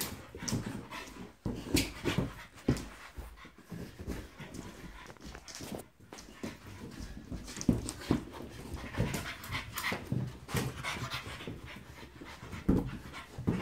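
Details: French Bulldog playing against a balloon indoors: continuous rough panting and snuffling breaths in irregular bursts, with low grunts and sharp broadband thumps and rustles as it scuffles with the balloon.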